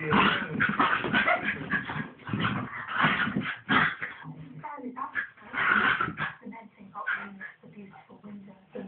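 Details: Two pet dogs play fighting: dense bursts of rough, noisy growling and barking crowd the first half, then quieter, tonal whimpering sounds repeat in short pieces, with human voices mixed in throughout.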